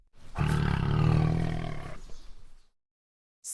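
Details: A single sustained tiger roar, low and gravelly, building over two seconds before trailing off into a coarse exhale, with a short sharp noise at the very end.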